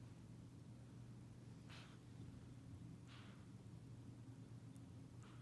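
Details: Sleeping cat snoring like a human: soft, breathy rasping bursts return about every one and a half seconds, quiet against a steady low hum in the room.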